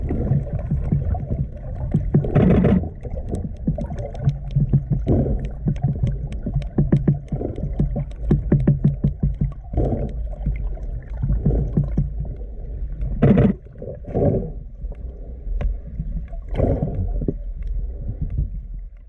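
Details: Female sperm whales, with young animals and calves among them, click underwater in irregular trains of sharp knocks over a deep rumbling background while swimming together and rubbing their bodies against one another.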